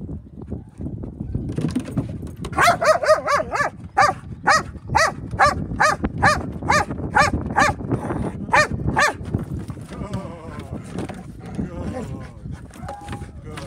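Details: Belgian Malinois during tower hold training, in slow motion: a steady series of about a dozen sharp, evenly spaced barks over several seconds, then fading into low background rumble and shuffling.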